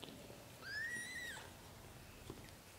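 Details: British Shorthair kitten beside its mother while littermates nurse: one clear, high, drawn-out mew lasting under a second, rising gently then dropping at the end, with quiet rustling around it.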